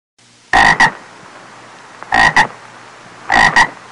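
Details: Frog croaking, three loud double-pulsed croaks, each a quick pair of harsh notes about a third of a second long, spaced roughly every one and a half seconds over a faint steady hiss.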